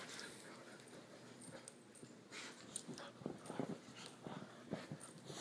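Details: Hominy, a female puppy at bedtime with a little energy left over from the day, gives short soft whimpers and snuffling bursts indoors, quiet and irregular, mixed with rustling and faint handling noise.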